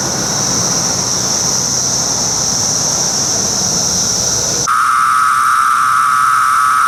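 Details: Brood X periodical cicada chorus at emergence: a constant shrill high buzz fills most of the recording, then switches abruptly to a lower, steady droning tone near the end, heard as a dense wall of insect sound.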